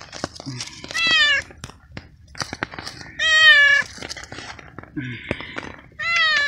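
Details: Stray cat, soaked in persistent night rain under a small umbrella, eats cooked veal for the first time and meows with pleasure: three loud sustained meows about two seconds apart, plus low short grunts and eating clicks.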